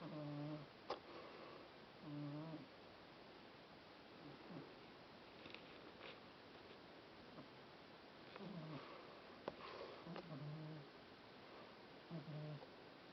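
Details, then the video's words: Domestic cat sprawled in the sun, snoring loudly indoors: low, droning, harmonic breaths in short bursts recurring every couple of seconds, separated by quieter stretches, with a few faint clicks between them. "кошка Машка храпит"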